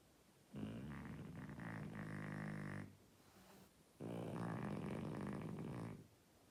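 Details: French Bulldog named Oleg snoring so hard the walls shake: two long rattling, throaty snores, each about two seconds, separated by a quiet pause for breath.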